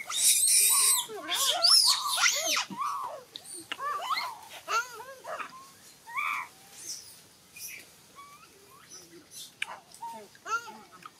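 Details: Newborn monkey crying and calling for its mother as Rose tries to take it from Brianna; loud, arched, harmonic wails, bursts of rapid squealing cries with a very high shrill squeak at the start, then shorter broken whimpers.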